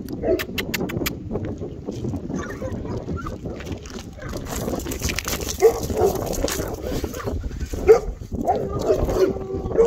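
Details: Eight-week-old Bernese Mountain Dog puppy, a black male from the Colline d'Eole litter: faint whimpering with a few short high yips near the end over steady background rustle and clatter.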